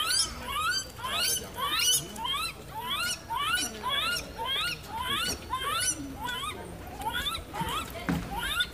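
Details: A 71-day-old white-handed (lar) gibbon (Hylobates lar) at a zoo, 20 September 2016, gives a quick series of high, rising squeaky whoops, nearly two per second.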